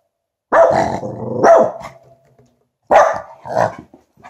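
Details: Finlay the Tibetan Spaniel, a bit scared of his new balloon present, gives four loud, harsh barks in two pairs, the second pair arriving after a pause of over a second, with a faint rustle at the end.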